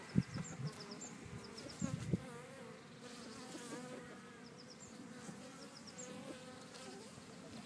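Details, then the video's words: Bees in a back garden at Cretingham, Suffolk, giving a low steady droning hum. A few louder buzzy passes come near the start, and faint high bird chirps sound over the top. "Cretingham Bees"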